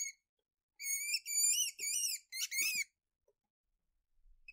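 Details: High-pitched weasel squeaks: a brief note, a pause, then four wavering, whistled squeals in close succession with rich overtones, ending in faint soft thumps and near silence.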